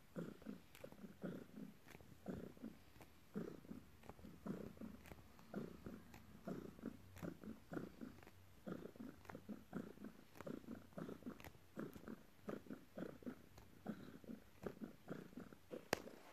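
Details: Pet cat Morning making biscuits on its owner after work; soft, rhythmic low purring rises and falls in even pulses, broken by a few light ticks.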